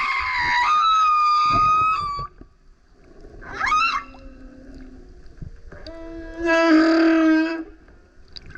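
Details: Male humpback whale singing super loud near a kayak: a steady high whistle-like tone, a brief swooping upward cry, then a raspy low roaring unit full of harmonics, separated by quiet water sounds.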